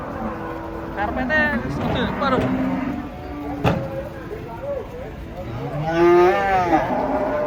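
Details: Big, bad-tempered cattle unloading from a truck give short deep moos early on and another louder low call near the end, over chatter and engine sounds.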